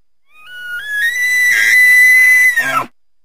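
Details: Elk, or wapiti, bugling: a whistled note climbing in steps to a long, loud, high sustained tone, then dropping sharply into a short low grunt at the end.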